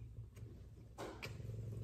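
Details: F2 Savannah cat purring while getting affection, one of two cats purring and giving lots of loving; a steady low rumbling hum runs throughout, with a few soft rustles and taps over it.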